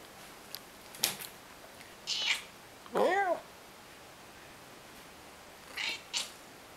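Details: Ginger female cat, nearly 19 years old and a bit scrawny, gives a single short, faint meow that rises and falls midway, surrounded by soft clicks and rustling in a quiet room.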